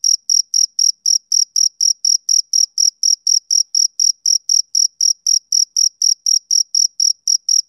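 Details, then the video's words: Short, piercing chirps from a male cricket, evenly spaced at three to four per second, clean and unaccompanied by any other noise. "Cricket Chirping"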